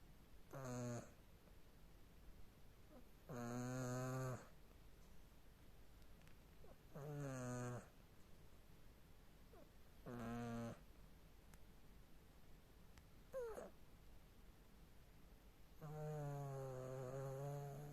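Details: Sleeping cat Tina snores in irregular bursts, six rasping, harmonic snores every three to four seconds, some brief and some stretched to two seconds, in a hushed indoor room.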